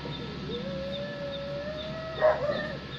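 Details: Pet cat reacting to cats fighting, giving a long drawn-out yowl that slides upward and then holds steady for nearly two seconds before breaking into a harsh, louder burst, with a faint steady hum behind.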